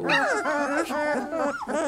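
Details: Whining from 3-week-old Labrador Retriever puppies: sliding, arched tonal cries that swoop down then up, overlapping voices with a faint squeaky note near the end.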